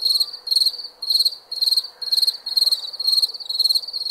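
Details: Shrill cricket chirps at night, around eight buzzy pulsed bursts in four seconds, each chirp a tight trill separated by brief pauses.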